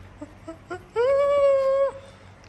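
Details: A Siberian Husky reacts to going outside with a few short soft yips, then one sustained, smooth howl. The howl starts low, lifts and stays level for almost a second before dropping away, followed by indoor quiet.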